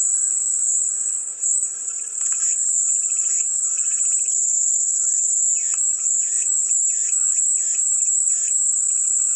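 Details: Soothing cicada sound: a continuous sizzling high whine, joined in the second half by a run of short, evenly spaced pulsing chirps at lower pitch.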